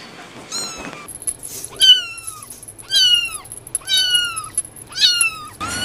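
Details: Domestic cat meowing five times at roughly one-second intervals, each meow a clear, arched, rising-then-falling cry, with quiet background between calls.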